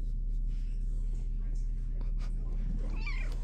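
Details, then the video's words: Shelter kitten Minnow in the big kitty room, held close while a steady low purr rumbles throughout, and a brief rising meow breaks in near the end. "Shelter Kitten Minnow Has Many Things to Say About Imprisonment in Big Kitty Room!"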